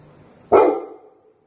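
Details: A single short bark from a Labrador Retriever greeting its owner home after three days away, loud and sharp, then fading quickly into quiet.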